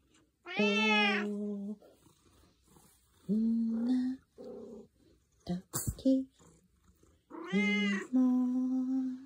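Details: Black-and-white tuxedo cat Zakio replies to a morning hello with sustained, rising-then-falling meows and shorter chirpy calls, mixed with a person's soft talk and a sharp knock in a small room.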